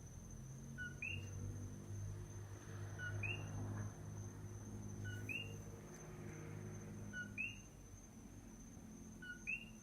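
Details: Coqui frog calling at night on the Big Island of Hawaii, a single animal recorded: a two-note call, a short low note then a higher rising chirp, repeated about every two seconds, five times, over a steady high tone and low rumbling background hum.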